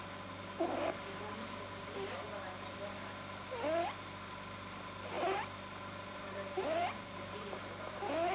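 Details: A rabbit gives unusual nasal honks while deeply relaxed, each a brief squeaky tone bending up and down, repeating about every one and a half seconds over a low hum. A vet says a probably overlong soft palate causes them.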